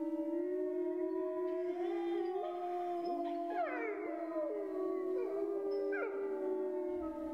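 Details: Grey wolves howling as a group, a low steady howl held throughout while higher voices glide up and down, wobbling and dropping in short swoops over the sustained tone.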